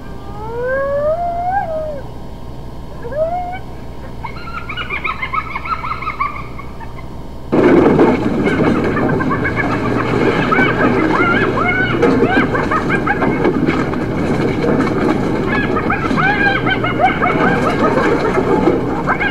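Hyena calls: long rising whoops, then a dense burst of overlapping chattering and squealing voices.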